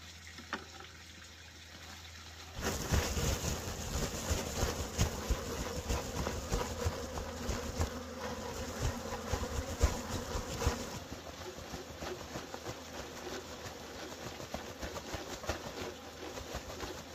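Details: Wild honey bees buzzing during a wild honey harvest: a steady droning hum with low, layered tones swells in abruptly and holds for about eight seconds, then eases to a softer drone, with rushing, gushing noise underneath.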